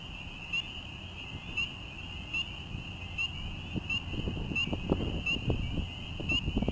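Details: Frogs singing and mating in a wetland in an urban area of Quebec in May, during the breeding season. They give a steady, high, ringing trill over a low traffic rumble.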